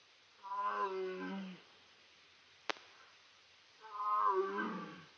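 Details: Captive tiger at a big cat rescue sanctuary, calling for snacks; two drawn-out, harmonic moaning calls about a second long each, separated by a pause with a single sharp click between them.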